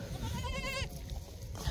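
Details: A poor ewe on a sheep farm in northern Spain, just after giving birth and unable to stand up. She gives one short, wavering, quavering bleat, with low background rumble before and after.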